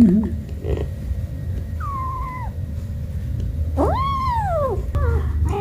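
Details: Cat and kitten playing with baskets: two clear meows, the first a short falling cry, the second a longer, louder call that rises then slides downward, over a low indoor rumble.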